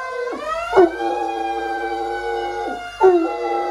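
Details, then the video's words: A six-year-old greying Great Dane, woken from sleep, gives a long, steady howl, howling along with a passing fire engine's wailing siren. "Sleepy Great Dane wakes up to howl at fire truck"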